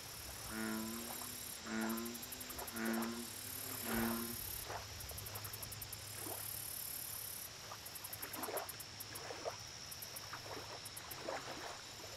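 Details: American bullfrog calling at a lake, four deep, resonant, buzzy notes evenly spaced about a second apart, then a quieter stretch of splashes and knocks, with constant shrill insect trills high above.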